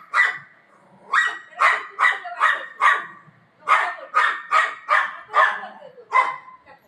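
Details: Golden Retriever playing at home with its owner gives sharp, bright barks in two bursts with a pause between, about ten barks in all, loud and close.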